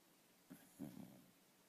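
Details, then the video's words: A dog snoring, described as funny snoring and laughing: one short low rasping snort, then a longer rattling, throaty snore of about half a second with pulsing bursts, both deep and soft, in a quiet setting. "СМЕШНО ХРАПИТ И СМЕЁТСЯ СОБАКА"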